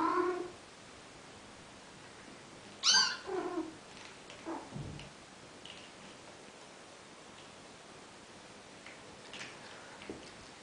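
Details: Bengal kittens four weeks and two days old playing indoors; a short high meow at the start, a louder shrill meow with rich harmonics a few seconds later, then quiet scuffling.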